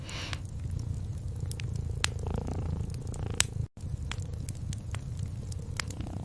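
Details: Domestic cat purring gently beside a crackling fireplace at night, a steady low rumble with sharp wood crackles and pops scattered throughout and a brief dropout near the middle.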